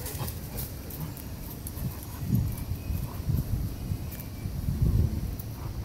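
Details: Dominant seven-week-old Rottweiler puppy guarding food and not letting its siblings eat; low, rumbling growls pulse in short bursts over a steady low background rumble, with faint scuffling throughout.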